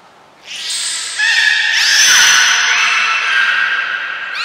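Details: Beluga squeals during a morning health check at Port of Nagoya Public Aquarium on 19 May 2021: a continuous harmonic whistle with rising and falling sweeps layered over one another, loud and sustained across the whole moment.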